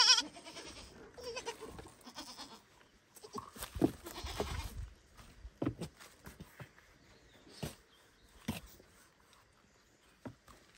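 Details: A young goat cries out for its mother by the barn, a sharp bleat at the very start and a fainter, lower one soon after, followed by scattered thumps, rustling and clicks.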